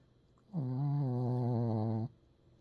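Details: A single long, steady snore from a Pekingese, a low buzzing drone lasting about a second and a half with a faint wobble in pitch, rising sharply and cutting off cleanly in a quiet room.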